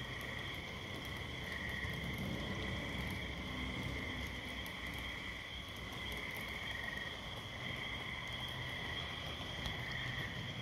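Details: Gray treefrogs (Hyla versicolor) call around 8:30 p.m. on 22 May 2022 in central New Hampshire, east of Concord, during a big treefrog migration. Many overlapping musical trills blend into a steady high hum.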